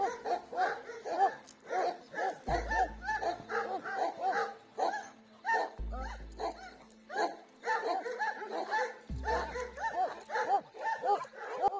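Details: Kangal shepherd dogs that guard nomads' flocks of sheep on the steppe, giving repeated deep barks about twice a second over loud background music with heavy drum beats.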